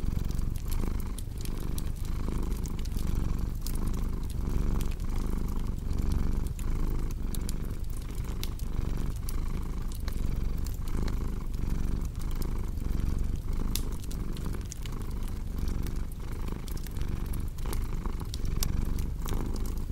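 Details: Domestic cat purring steadily in a deep low rumble, swelling and easing with each breath roughly every second and a half, under constant sharp crackles and pops from a fireplace.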